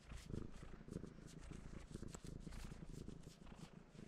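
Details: Domestic cat sitting on a person and purring while wanting to be petted; a steady, low rumbling purr with rapid pulsing throughout, plus soft rustling and a few faint clicks.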